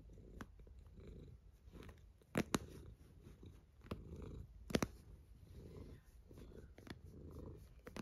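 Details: A cat snores indoors, its low grumbling breaths rising and falling about every second, with occasional crisp ticks and clicks over the rumble.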